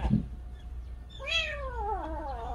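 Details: A kitten that lost its mother gives a single plaintive meow. It starts high, then slides downward as a drawn-out harmonic-rich cry lasting about a second. Faint low background rumble is audible.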